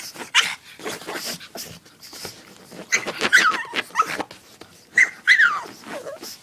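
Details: Pet dog wanting to play with its favorite chew toy, giving short high whimpering whines that rise and bend, mixed with clicking, scuffing and rustling noises between the calls.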